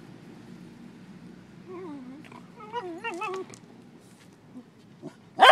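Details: Beagle mother playing with her four-month-old puppies on a beach, with wavering, whiny yelps in a quick string of warbling notes lasting about two seconds, then quiet, a few soft clicks and a loud noise at the end.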